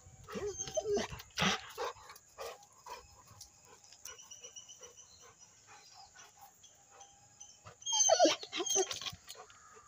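A Rottweiler gives a few short, rough barks and whines, with a steady high electronic hiss behind.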